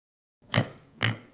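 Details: Domestic pig giving two short, harsh grunts about half a second apart, each a broad rough burst with a deep low core, after a moment of silence.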